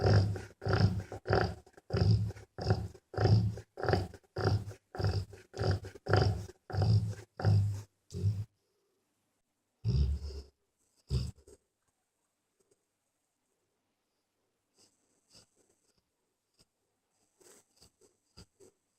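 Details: A mother dog lies asleep with her puppies after a long day. Quick, regular, low snoring breaths come for about eight seconds, then a few more follow before near silence with faint small noises.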